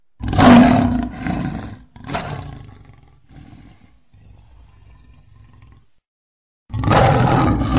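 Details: A tiger gives deep, rasping roars and growls: loud bursts separated by quieter rumbling breaths.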